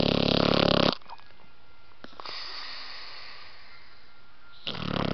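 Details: Sleeping American Pit Bull Terrier puppy Roxie, blue nose, gives a rough, vibrating snore at the start, falls quiet for several seconds with soft faint sounds, then begins another raspy snore at the end.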